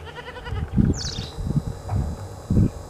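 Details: Goat kid drinking its mother's milk in the morning: a short, nasal, wavering bleat opens, followed by a run of low, soft thumps and knocks from the suckling.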